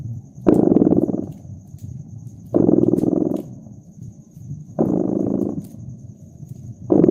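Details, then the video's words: Contented cat's purr beside a crackling hearth in winter, alternating loud pulsed rumbles and softer drones in a rhythm of about two seconds, wood snapping faintly in the background. "Purring Cat"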